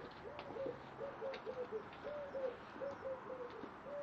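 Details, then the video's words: Sanchez, a three-and-a-half-month-old timberwolf-cross malamute puppy, gives a run of short, high, tonal whines, about ten brief yelping notes in four seconds, some level and some dipping, over a soft indoor hiss. "Malamute puppy"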